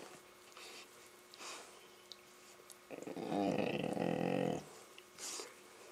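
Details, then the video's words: Playful Labrador Retriever grumbling while romping with a Rottweiler puppy: a throaty, wavering growl near one and a half seconds long that starts rough and steadies, amid light scuffling. "the funny noises the Labradors making while playing with our Rottie puppy"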